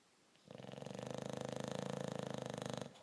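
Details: English Bulldog snoring indoors: one long, rattling breath lasting over two seconds, buzzing with rapid pulsed vibration, rising in quickly and cutting off sharply.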